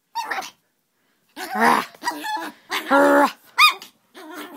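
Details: A hyper young female puppy playing indoors with a person, giving short yappy barks and rough growly bursts separated by brief silences.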